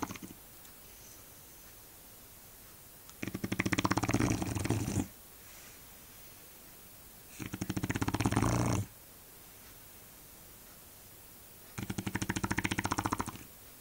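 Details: Shar Pei named Eva snoring: three loud, raspy, vibrating breaths of about one and a half seconds each, returning roughly every four seconds with quiet pauses between.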